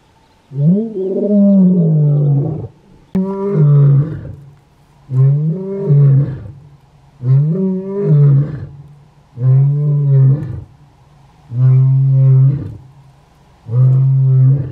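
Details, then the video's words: Lion roaring in the Kgalagadi, Kalahari, a call the lion gives to warn other lions off its territory and to locate pride members; deep, drawn-out moaning roars, seven long bursts about two seconds apart, each tailing down in pitch. "Lion Roaring compilation"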